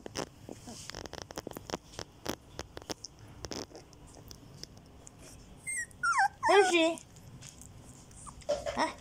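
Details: Fourteen-day-old Border Collie mix puppies (Turjak) indoors: a run of soft clicks and shuffles, then high, wavering whimpers and squeals sliding up and down around six to seven seconds, with a brief yelp near the end.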